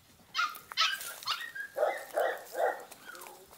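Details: Two-month-old female Podenco puppy in a paddock gives a quick run of high, sharp yips, several spaced out then three evenly repeated ones about every third of a second, ending with softer whines.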